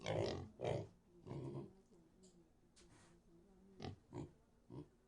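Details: Pig giving a series of short, low, rough grunts, several in close succession at the start, then quieter, with a few sharper snorting bursts near the end.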